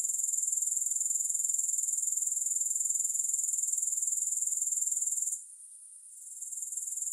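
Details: Soothing grasshopper sounds, no music: a loud, even, high-pitched pulsing trill that dips to a quiet hiss near the end, then gradually returns.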